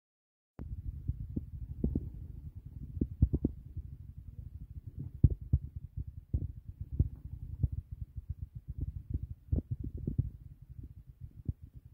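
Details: Low, irregular thuds and soft knocks in a quiet room, with no animal vocalisation.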